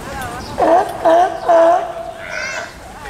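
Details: California sea lion at Tennoji Zoo, Osaka, on 5 July 2014, while a pup born 20 June, about two weeks old, is nursing. Three bleating, wavering calls with rich harmonics come at even half-second spacing, with faint crowd voices behind.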